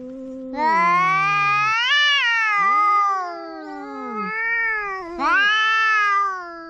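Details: Domestic cats quarrelling, drawn-out overlapping yowls that rise, waver and fall, one voice sliding downward beneath another, with several long wailing phrases back to back.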